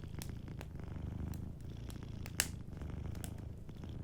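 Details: Gently purring cat asleep near a fireplace: a low, rhythmic rumbling purr that swells slightly with each breath, broken by light fire crackles and one sharp pop.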